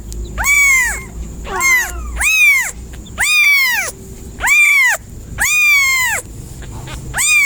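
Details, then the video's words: Series of loud, arching cat meows, about seven in a row roughly a second apart, one breaking into a wavering, cracked cry, against low background rumble. "FUNNY CAT SOUNDS"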